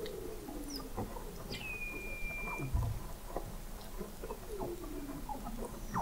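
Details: Weddell seals recorded in November 2017 at 21 m below the sea ice in McMurdo Sound, Antarctica; a sharp rising chirp leveling into a long flat whistle, with falling trills, faint high chirps and low thumps.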